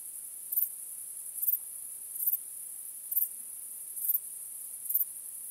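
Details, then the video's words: Crickets chirping on a starry night: a steady, very high-pitched shrill hum runs throughout, with six louder chirp bursts pulsing at a regular pace, a little under one second apart. No other sounds stand out. "Cykanie Świerszczy 🦗 Gwieździstą Nocą 🌙 {Night Crickets Sound}"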